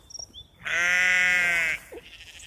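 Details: Single sheep bleat lasting about one second, a loud, steady, nasal cry with a slight tremble, set against a quiet background with faint chirps before it.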